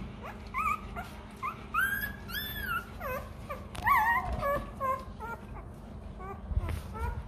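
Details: Rottweiler puppy (Canis lupus familiaris), begging whines: hungry puppy begging for milk.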